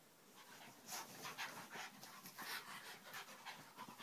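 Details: Domestic dogs including Vinnie in a rough play fight at home, giving quick, noisy, hissing pants and snorts in an irregular stream of breathy bursts.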